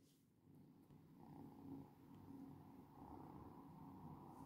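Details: Cat purring in a low, steady rumble, swelling gently with each breath about once a second, with a faint brighter layer rising and falling above it.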